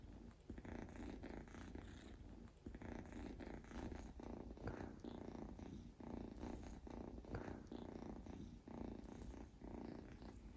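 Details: Mofy, a sleeping male Scottish Fold Longhair kitten born July 2021, snoring with a steady low rasping breath sound that continues almost without pause, dipping briefly now and then.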